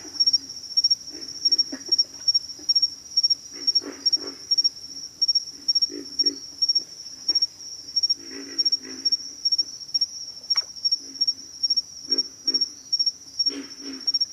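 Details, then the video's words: Pig frogs calling: low, hoarse grunts in short bursts of two or three, repeated irregularly every second or so, over a steady high-pitched insect drone. "pig frogs - sound effect"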